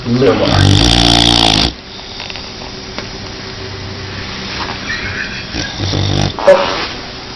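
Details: Snoring dog indoors, one loud, drawn-out rasping snore during the first second and a half, then low faint breathing noises and quiet human voices in the background.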